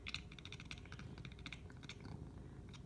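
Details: Cat; chattering call; trying to get the attention of birds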